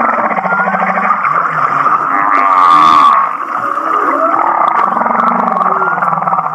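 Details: Humpback whale song that sounds like laughing, recorded off Kihei, Maui: rapid pulsed, chuckling trains near the middle register, a loud raspy burst midway, and low moaning tones sliding underneath.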